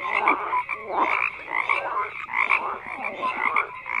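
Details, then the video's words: Dense chorus of frogs, repeated grating croaks in pulsing bursts roughly every half second, overlapping voices with scattered brighter tonal notes. "FROGS CROAKING"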